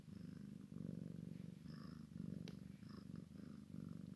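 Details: Purring from a Maine Coon x Sphynx cat while a kitten plays with its mother: deep, grainy rumble that swells and fades in rhythmic cycles, with a faint click partway through.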